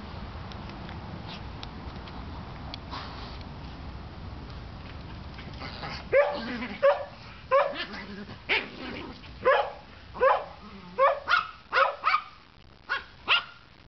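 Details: Pet dogs at home: quiet at first, then from six seconds a steady series of about twelve sharp barks, roughly one every half second, some higher and yelping.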